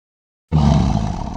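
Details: Lion roaring: a deep, rough, low-pitched roar that bursts in abruptly and holds steady with a faintly pulsing rumble to the end, no other sounds.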